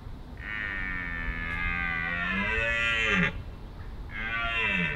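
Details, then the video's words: Deer roaring during the rutting season: a long, drawn-out harmonic bellow of about three seconds with a rich, buzzy upper tone that drops in pitch at the end, then a second call begins a second later. "The Deer rutting season has begun!"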